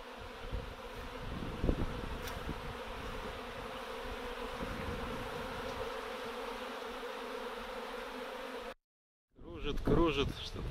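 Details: Circling honey bee swarm that will not land, producing a dense, steady hum with a clear tonal band, some low wind rumble, a short silent gap, then a man speaking.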